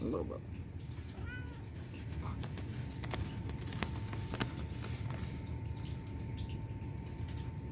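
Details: A male Turkish Van cat gives one short, rising-and-falling meow while a person talks softly nearby; he mews cutely and cleans his face.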